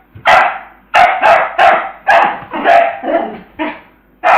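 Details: Peanut, a pet dog, barks during ball play, acting silly: eight loud, harsh barks with short gaps, a few doubled close together, a brief pause before the final bark.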